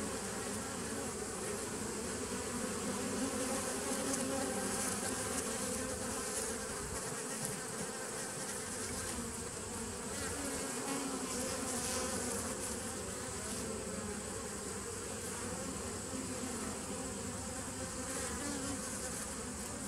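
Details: Bees recorded on 27 September 2018, a steady, dense droning hum with a strong low band and layered overtones, holding an even loudness for the whole stretch without pauses.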